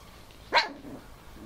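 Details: Four-week-old Bichon Frise puppies, out of their basket for the first time and excitedly playing and play fighting; one short, sharp high-pitched yip rises out of a quiet room.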